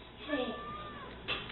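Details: Domestic cat in a home setting, giving a drawn-out tonal meow that rises and then slowly falls over about a second, with a person's voice talking over it and a short burst of noise at the end.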